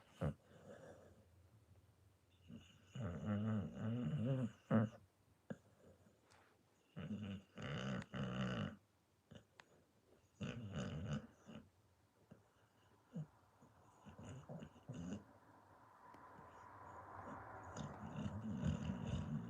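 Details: Sleeping pit bull snoring: low, rough, rattling snores come in bursts about every three to four seconds, with quieter breathy noise filling the final stretch.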